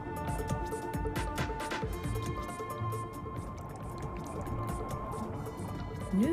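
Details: Soft music with a faint voice and scattered dripping, watery sounds, and no animal call present.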